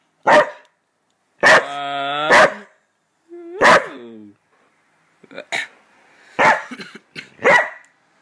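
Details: Border Collie vocalizing as its owner counts down; short barks then long wavering howl-like yowls with clear stacked tones, followed by a cluster of quick barks and yelps.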